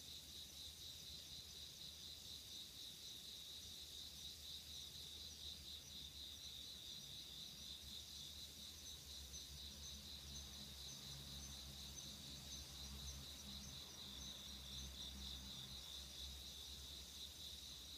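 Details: On an autumn night in 2016, a chorus of insects produces a continuous high rhythmic trill with a shimmering overtone band, about four pulses a second, over a low droning hum that swells midway.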